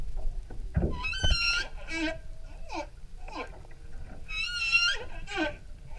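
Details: Humpback whale singing off Maui, Hawaii, picked up from an outrigger canoe on a whale-watching tour: sweeping moans that rise and fall, bright squealing upsweeps rich in overtones, a long steady tone, and low knocks between phrases.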